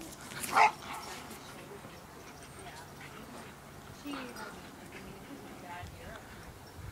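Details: Dogs playing and going crazy: one sharp, loud bark right at the start, then a long quieter stretch with faint human voices and small shuffling sounds.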